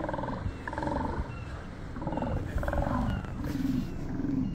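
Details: Sea lions in Resurrection Bay, Seward, Alaska, bark in rough, hoarse bursts, several animals calling over one another.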